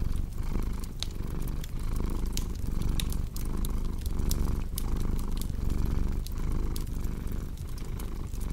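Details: Steady low rumbling purr from a house cat, rising and falling in regular breaths roughly once per second, set against the snaps and crackles of a fire burning in a fireplace.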